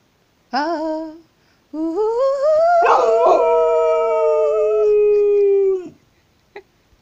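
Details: An American Staffordshire Terrier "sings" along when its owner invites it, giving a brief rising note followed by a long, steady, slowly falling howl.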